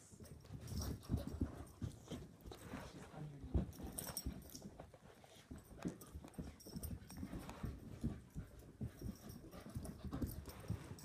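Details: Two wheaten terriers, an adult dog and a puppy, play fighting; low rough grumbling growls and scuffling bursts run throughout, with sharp clicks and thumps of paws and bodies on the floor.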